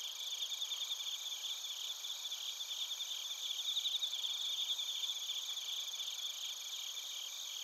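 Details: Crickets, bell crickets among them, chirping together in Narita, Chiba, Japan, taken with a TASCAM Portacapture X8; steady high metallic trilling with loose, overlapping chirps near four a second, briefly louder mid-way.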